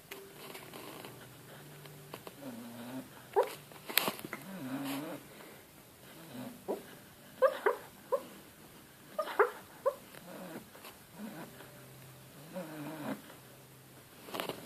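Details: Pet dog Buddy whimpering, crying and giving muffled barks while asleep indoors at Christmas; soft whines and short yelps come in scattered clusters, with low breathy sounds between them.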